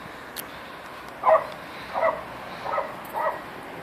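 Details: A 14-week-old female Toy French Poodle named iPod, having fun on a slide, gives four soft, separate yips spaced under a second apart against a quiet background.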